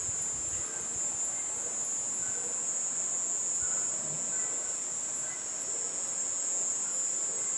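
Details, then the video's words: At nightfall in a garden, a cicada keeps up a continuous shrill hiss, very high and even in pitch, with no pauses, over faint low night background. "BAT SOUND AND CICADA SOUND"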